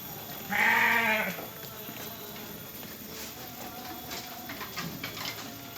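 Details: Freshly shorn sheep at a farm in Jatinom, Blitar: one loud, quavering bleat lasting under a second near the start, followed by a steady background hum and faint scattered sounds.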